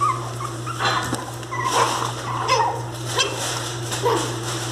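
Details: Angry miniature pinscher puppies giving scattered whines mixed with harsher, noisier yips and bursts, fewer and more spaced than a steady cry, with a low background hum.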